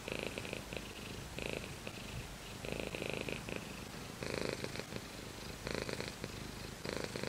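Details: Purring domestic cat named Shiro, heard close up as steady low rumbling pulses that swell into louder breathy bursts about every second and a half, each burst matching an inhale or exhale, with quieter gaps between.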